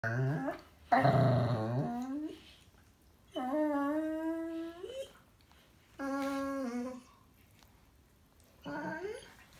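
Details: Dog making noise while playing indoors: long drawn-out whining, yodelling howls that slide and waver, in bursts about every two to three seconds with quiet gaps between.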